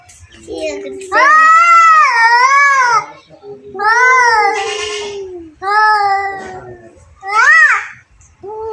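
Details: Two cats fighting indoors, giving long wavering yowls in four separate bouts, each swelling and falling in pitch, with short silences between.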